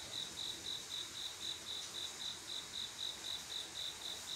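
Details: On a still summer night a cricket calls for a female: bright, trilled pulses repeated rhythmically roughly four times a second against a continuous high background buzz of other insects.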